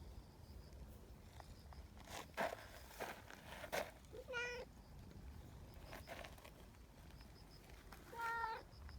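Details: Meow from a community cat used as a signal calling other cats to a bench, where a friendly trio soon gathers; two short meows about four seconds apart, between bursts of clicking and rustling.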